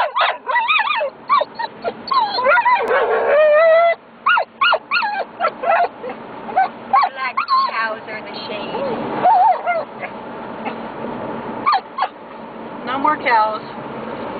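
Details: A dog near cattle, left to tell the cows off, producing dense bursts of high whining yips and wavering cries, mixed with a person talking throughout.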